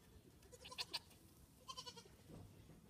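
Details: Goats at home meeting Frances, a deaf Saint Bernard puppy, with Mildred the 8-week-old kid among them; two short, quavering, harmonic bleats come close together, then a second pair of shorter cries over low rustling background noise.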